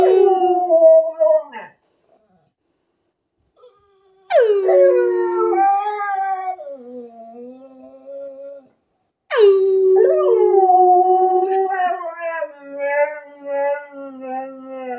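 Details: Mirah, a 12-year-old female Alaskan Malamute, keeps whining until her owner sings along. Long, wavering howl-like whines dip and hold. Later passages turn into a sustained, warbling joint song.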